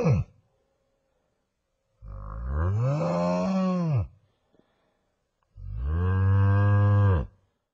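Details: Buffalo howling: two long, loud, deep bellows of about two seconds each, rising slightly then falling off, separated by a silent gap, with a brief final note of an earlier call at the start.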